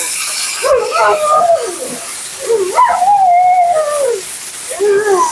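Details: Mila, a talkative female Siberian Husky at her second-ever grooming, vocalizes during her bath: wavering, howl-like moans that slide up and down in pitch, several drawn-out phrases over a steady hiss of water or equipment.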